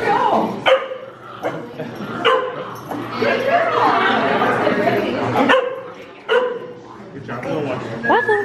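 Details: Corgi puppy Waffles in San Francisco, footage from 2018, giving sharp, short barks and yips scattered over several seconds, with people talking throughout and over the barks.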